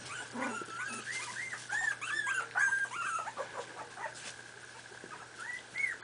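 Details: Miniature Pinscher puppies, 4.5 weeks old, playing together indoors: a busy overlapping chorus of thin, high, arching whimpers and squeaky yips, about two per second from several pups at once.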